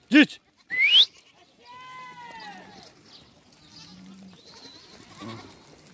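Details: Goats, a mother meeting her kid, give a drawn-out wavering harmonic bleat that slowly falls in pitch, after two loud sharp rising squeals at the start, with faint lower bleats and background noise.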